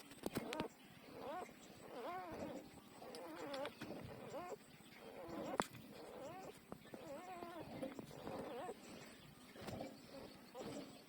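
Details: Newborn puppies, twelve days old, nursing from their mother; a steady stream of wavering, high whimpering whines with warbling harmonics, several overlapping, continuing throughout with soft sucking and rustling below.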